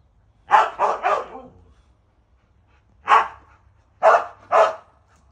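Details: Siberian Huskies at home as Max, driven by hunting instinct, chases birds. A rapid run of three loud, rough barks, a pause, then one bark and a final close pair.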